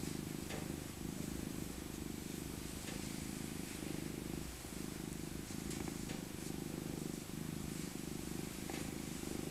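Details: Elderly female tabby cat, born 2000 and rescued as an abandoned kitten, purring while cuddled in her soft winter coat indoors: a steady, low, rumbling purr with fine rapid pulsing, continuous throughout, with a few faint soft rustles.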